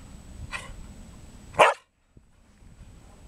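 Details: A Samoyed drying off after a bath gives a soft, short yelp followed a second later by one louder, sharp bark, then near silence with faint room noise.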